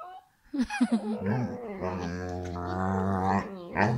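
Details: A Saluki and a Whippet play fighting: a few short yips, then a long sustained whining growl with a wavering tone, ending in a rising whine.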